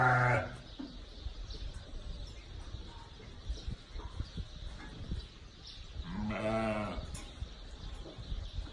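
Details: Ewes with newborn lambs: a short bleat opens, then after a quiet stretch of low rumble comes a longer, rich, slightly quavering bleat near the end.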